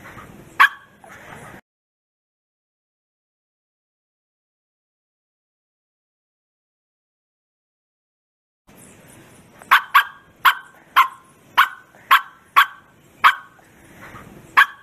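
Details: Bearded Collie barking with full force: a single sharp bark, then a long silence, followed by a rapid burst of about nine loud barks in steady succession.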